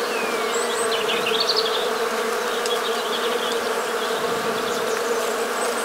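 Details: Domestic honey bees humming in winter, 1 January 2022, rural Morbihan in Brittany, France: a thick, steady collective buzz throughout, with brief faint bird-like chirps and a thin descending whistle in the background.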